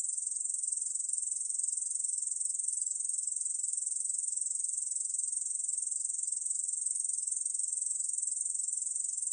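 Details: Nine seconds of a Ussuri bush cricket (중베짱이) singing, recorded in 2020 by the National Institute of Biological Resources: a constant thin, high rasping drone with no breaks and no change in pitch. The background is silent.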